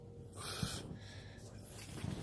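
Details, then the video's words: Papichulo, a Chihuahua mix, snorts indoors while demanding a massage and seeking attention: one short, breathy, rushing snort followed by softer nasal breathing. A person's voice is heard just before and after. "I demand you massage me, human!"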